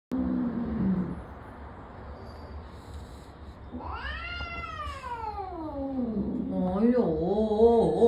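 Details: Angry male cat newly checked into a cat boarding hotel in Singapore. A woman's voice is followed by a long, loud meow that rises then slides steeply down, then a wavering, growly yowl, all indoors.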